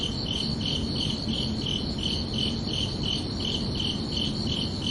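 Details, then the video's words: Crickets under a night sky in summer, a rhythmic string of shrill chirps spaced about a third of a second apart, steady and unbroken over low ambient noise. "Calming Cricket Sounds for Relaxation"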